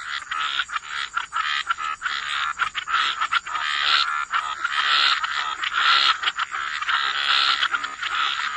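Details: Chorus of croaking frogs in a wetland setting: many overlapping rasping calls blending into a near-continuous wash, with a constant high-pitched background whine.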